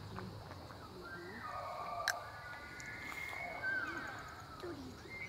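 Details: Free-range bull elk bugling during the September rut, with hundreds massed along the Missouri River at the Charles M Russell National Wildlife Refuge, Montana; high, thin whistled tones held and overlapping, with a rising sweep and a later short whistle over a low rumble.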